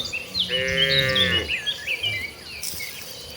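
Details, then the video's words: A herd of tame village cattle heading to the rice fields to feed. A single drawn-out moo lasting about a second, rich in overtones, while many small birds chirp and whistle brightly behind it. "Rombongan sapi lembu jinak yang sedang menuju ke ladang, suara sapi moo"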